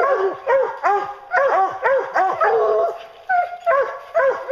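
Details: Bear-hunting hounds in full cry, their loud, arching bays coming about twice a second and overlapping, with one brief pause before the chorus resumes.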